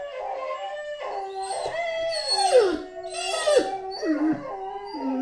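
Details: Great Dane named Anubis howling: sustained tonal howls that waver and slide, several drawn-out falling glides near the end, continuous over five seconds with no competing noise.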